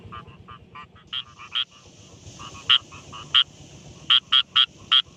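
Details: Rice field frog croaking by day in a paddy: quick runs of short, hard, clicking croaks, some louder single knocks standing out, repeated in irregular bursts over a faint low hum.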